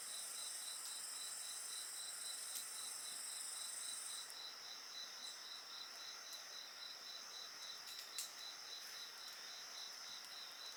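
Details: Night insects chirping near a bonfire, steady pulses three or four per second; a very high ringing trill drops out after four seconds while the pulsed chirps continue, with soft crackles from the fire.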